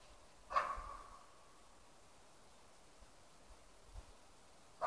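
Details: A West Siberian Laika gives sharp, echoing barks several seconds apart, baying at a moose cow with her calf.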